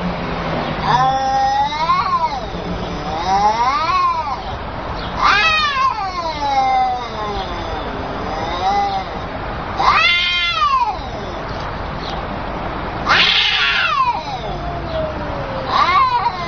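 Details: Cat meowing repeatedly: drawn-out, wavering meows with rising then falling pitch, about six calls spaced two to three seconds apart, some harsher and more strained, over a steady low background hum.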